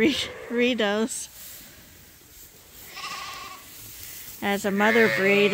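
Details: A lamb at Ewetopia Farms, bottle fed to top up its mother's milk, gives two short quavering bleats separated by a quiet pause with faint background noise.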